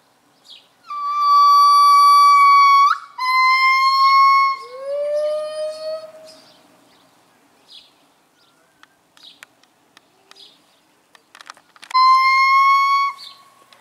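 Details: Pair of gibbons at Dierenrijk zoo singing their morning chorus: long, loud, steady hooting notes with rich overtones, a sliding lower note, then a quiet gap with faint chirps before another long held note returns near the end.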